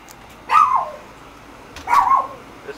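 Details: Neighbours' dogs, including a Chihuahua, barking nonstop day and night in Guatemala; two sharp yappy barks about 1.4 seconds apart, each sliding downward, over a quiet background.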